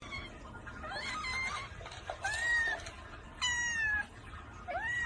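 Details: Domestic cat meowing repeatedly indoors: a run of bright, harmonic meows, some rising and some sliding downward, in quick succession with short breaks and low background rumble.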